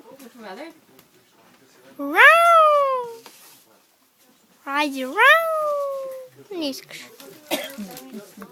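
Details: Singing dog encountered on a train: two long tonal howls, each swooping upward then easing down and fading, with conversation and a child's voice in the background.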